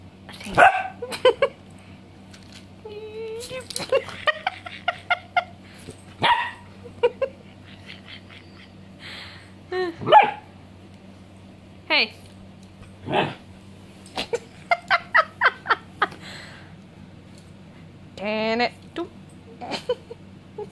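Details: German Shepherd puppy playing with water, giving short, sharp yips and barks in scattered bursts with brief quiet gaps; a person speaks Russian in between.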